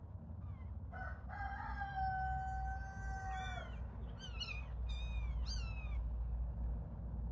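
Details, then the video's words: Playing little kittens: one long, level, drawn-out meow lasting about two seconds, then three short, high mews that arch up and down in quick succession, over a constant low rumbling background. "Play with little kittens"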